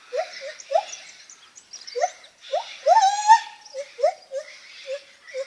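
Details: Lar gibbon making funny noises: short rising hoots in pairs, then a longer quavering note climbing in pitch at the centre, before more short hoots resume.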